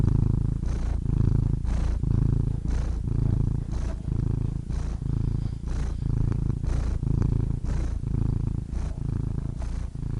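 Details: Cat purring, offered as a soothing sleep sound: a steady low rumbling vibration that swells and fades with each breath, roughly one cycle per second, continuous throughout.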